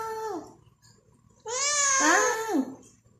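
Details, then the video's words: Domestic cat meowing insistently: a short falling meow, then after a pause a louder, drawn-out meow of about a second that wavers and slides downward, rich in harmonics, in a quiet room. "Always meow"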